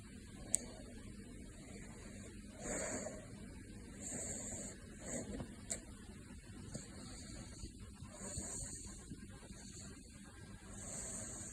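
A caracal snores in low, breathy rasps that come and go every two to three seconds. A steady faint hiss and hum sit underneath the quiet snores.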